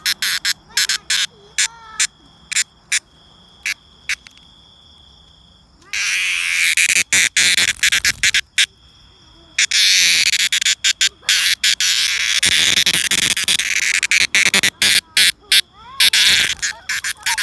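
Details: Cicada song: loud broad-band buzzing in long bursts of several seconds, broken by sharp clicks and gaps, with a steady high tone and other faint chirps in the background.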